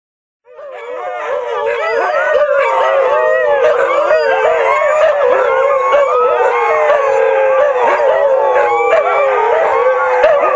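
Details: Six Siberian Huskies howling at the same time: after a brief silence, overlapping long wavering howls rise and fall together, layered voices sliding up and down in a dense continuous chorus with no other sounds.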